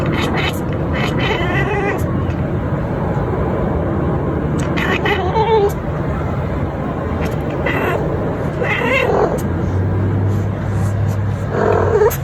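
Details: Pet cat making a weird hunting noise while watching a bird fly by: short chirping, chattering bursts at intervals, set against the constant low drone of a passing aircraft.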